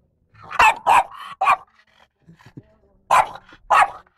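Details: Lara the French Bulldog barks at a compressor. Three loud sharp barks in quick succession, a pause with soft low grunts, then two more strong barks.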